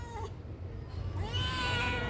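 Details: Pet cat meowing while a person talks to it in Telugu: one sustained, bright meow in the second half after a quiet stretch, with low rumbling background.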